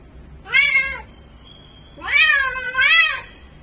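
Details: Bengal cat in full heat calling indoors: a short harmonic meow, then after a pause a longer drawn-out wail that swells twice, rising and falling in pitch. A faint steady tone sounds between calls.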